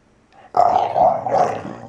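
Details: Valley Bulldog Archie, aged just over three, snarling during play: a single sudden rough growl starting abruptly and holding for over a second before easing off.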